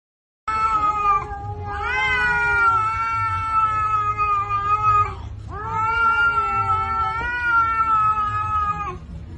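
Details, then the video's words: Domestic cat angry at her sister, giving two long, drawn-out wailing yowls of about four seconds each, steady and richly tonal with a slight rise at the start of each, separated by a brief pause, in a quiet indoor setting. "kitty angry to her sis"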